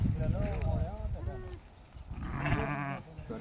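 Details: Sheep on a farm with a flock of 66 adults and 22 lambs, giving wavering, quavering bleats, a shorter one early and a longer tremulous one near the end, over men talking in Telugu.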